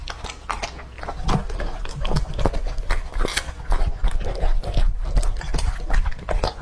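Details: A two-and-a-half-year-old male English-type Labrador named Lucky chews raw food. Dense, uneven crunches and smacking bites come roughly three times a second against a heavy low rumble.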